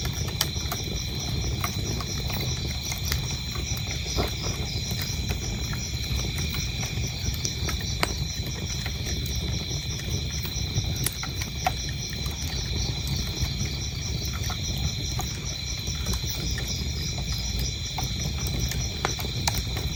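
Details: Crickets chirp steadily in a continuous high, pulsing trill that runs unbroken beneath the loud crackling and popping of a burning fireplace, with low rumbling fire noise throughout.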